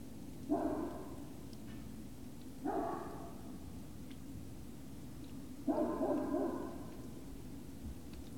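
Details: Great Dane puppies at Puppy Hill, evening of 19 February 2019, giving three drawn-out, harmonic whining yelps about a second long each, spaced two to three seconds apart over a steady low indoor hum.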